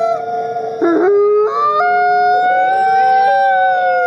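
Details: Captive-born gray wolf, an ambassador wolf at a wolf conservation center in South Salem, New York; several long, steady, tonal howls overlap at different pitches, with some voices stepping upward, forming a sustained chorus.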